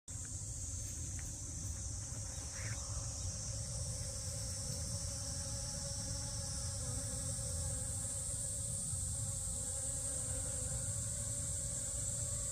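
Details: Honey bees visiting allium drumstick flowers in a garden; a steady, droning buzz runs through the whole recording, with a constant high insect hiss above it.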